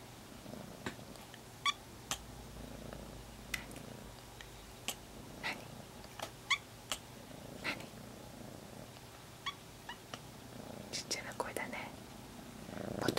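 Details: Kitten Monaka, which at first hardly meowed at all, calling in a tiny high voice: brief faint squeaky meows scattered through the recording amid sharp clicks, soft rustling and a low steady hum.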